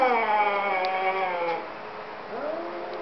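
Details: Two cats talking: a sustained, harmonic, moaning yowl that slowly drifts lower and fades, then a new yowl with a quick upward swoop near the end.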